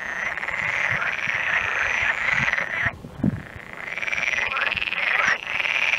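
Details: Frogs calling in the background while a stork feeds its young; a dense, continuous buzzy chorus with a bright, steady trill throughout, a short dip near the middle, then swelling back with overlapping voices.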